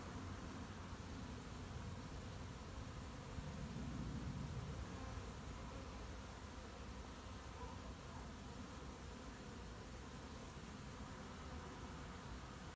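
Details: Honey bees collecting honey at an apiary on 20 July: a low, steady, droning hum of many wingbeats that holds throughout, under broad hissing background noise.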